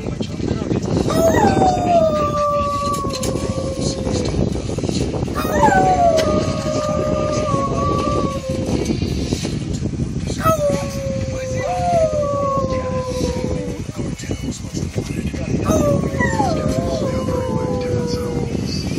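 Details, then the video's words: Poodle howling in long drawn-out wails, each starting high and sliding down to a steady tone, repeated about every four to five seconds, over loud steady rumbling background noise. "The howling poodle."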